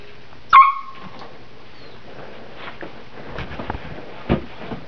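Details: Saint Bernard x Newfoundland puppy indoors, playing with guinea pigs, gives a single short, sharp, tonal bark near the start, followed by quiet room noise with a few faint clicks and rustles.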